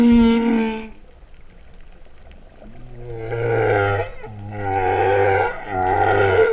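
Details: Humpback whale song recorded underwater off Vava'u, Kingdom of Tonga, September 2015, song likened to cattle mooing: a brief high harmonic tone, a quiet pause, then three deep, rich moaning units in a row.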